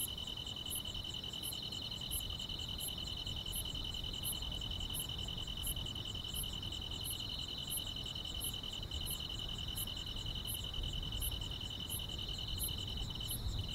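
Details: On a calm summer night in the countryside, grass insects hold a constant pulsing trill while a sharper, very high chirp recurs steadily about every 0.7 seconds; a faint low rumble lies beneath.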